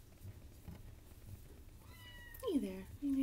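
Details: A cat gives a loud, falling meow that drops sharply in pitch, followed by a short, level call. A faint tonal sound comes just before them over a low background murmur.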